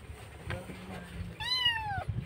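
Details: Kitten crying loudly for its missing mother, one long meow that rises slightly then falls, after faint softer mewing earlier; a person speaks nearby and steady low hum runs underneath.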